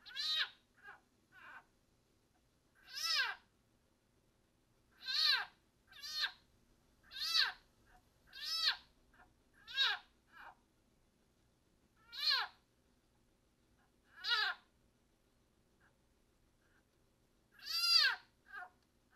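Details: Leopard frog seized and being swallowed by a broad-banded water snake keeps screaming: piercing harmonic cries that arch downward, in bursts every one to two seconds with short soft chirps between, background otherwise quiet.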